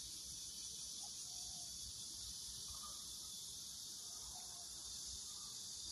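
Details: Cicadas give a steady, high, hissing drone that carries on without a break, heard at a vegetable garden where corn has formed ears.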